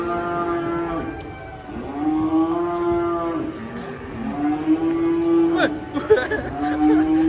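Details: Cattle in a compilation of funny cows in Indonesia; three long, steady moos, each a drawn-out low tone lasting over a second, separated by short pauses, with a man speaking briefly near the end.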